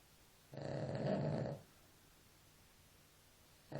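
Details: One long, rough snore from a sleeping dog, a harsh low rasp lasting about a second, then silence before the next breath starts.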